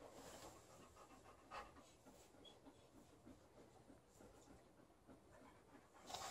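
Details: Alaskan Malamute named Liza panting while playing on a bed with her companion Lucy; soft, quick breathy rhythm runs steadily throughout, with a faint rustle and a brief higher noise near the end.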